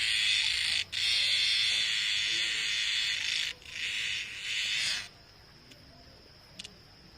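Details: Loud cicada noise at night in the jungle: an intense hissing buzz broken by short pauses, fading lower before stopping, leaving a thin steady high whine and faint clicks.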